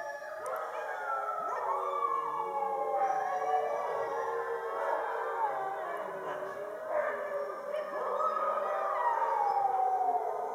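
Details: Chorus of about 50 Siberian huskies howling together after a meal under the full moon in winter; many overlapping sustained, wavering howls at different pitches, some sliding downward, forming a continuous dense wail throughout.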